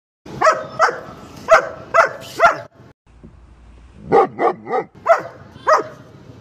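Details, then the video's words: A dog barking: a quick run of five sharp barks, a pause of about a second, then another burst of five barks. "#dog sound"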